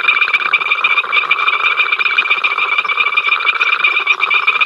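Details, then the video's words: Frogs responsible for the incessant row at Ol Donyo, heard via the africamLIVE live cam: thick overlapping rapid croaking pulses and a high constant whine, a few sharp ticks standing out. "We are Froggies, hear us croak!"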